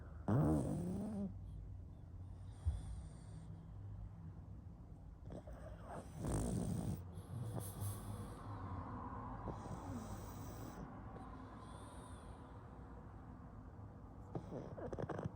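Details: A sleeping pug snores in low, rough, noisy bursts, with a loud snort near the start and another strong breath around six seconds, amid a steady low rumble indoors.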